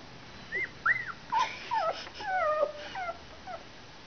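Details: Whimpering from one-week-old puppies, with several thin squeaky cries that rise and fall, some overlapping as if more than one pup calls at once, irregularly spaced over four seconds, quiet hiss behind.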